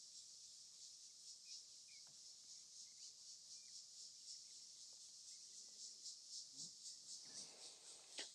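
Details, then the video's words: At sunset on 27 December 2024 in Rietspruit Game Reserve in South Africa's Lowveld, insects in the surrounding trees form a dense, high shrilling chorus with a steady pulsing hiss, faint chirps and light rustles. "And then maybe you can hear all the insects that are around us in these trees."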